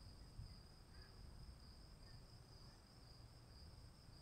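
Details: Crickets during rain give a smooth, sustained high trill, clearly steady from start to finish, over softer low rain hiss.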